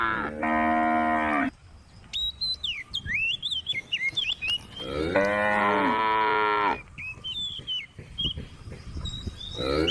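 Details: A tame female cow in a grassy field with a group of cows and a calf gives long, full-throated moos, with small birds chirping in the gaps.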